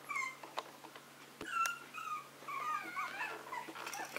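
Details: Small Maltese and Yorkshire terrier dogs at home, thin wavering whines sliding up and down, soft and intermittent, with a few clicks and light knocks in a quiet room.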